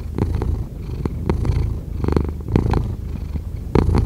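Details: Deep, strong purring from a domestic cat, very bass-heavy and pulsing, the level swelling and easing with breathing, with occasional soft clicks and rustles.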